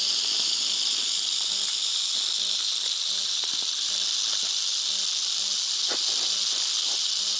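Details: Rattlesnake rattling as it attacks: a dry, continuous high buzz held steadily from start to finish, with faint scattered clicks underneath.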